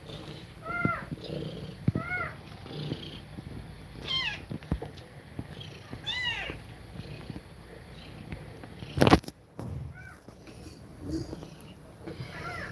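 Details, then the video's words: Domestic cat nursing her kittens, breathing fast while they feed. Short, faint rising-falling mews come at scattered moments over a low rustling background, with one sharp knock near the middle. "Cat Breathing Fast While Feeding Milk To Kittens"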